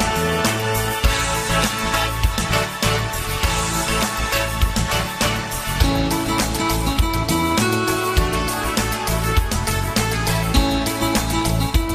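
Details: Upbeat guitar-driven pop music plays steadily throughout, with no animal sounds audible.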